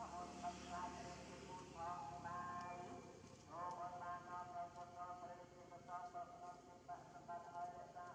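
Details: Hungry baby monkey named Janna, with an injured lip, crying to ask for food: repeated tonal, harmonic wails in short bursts about a second apart, with a steady background hum beneath.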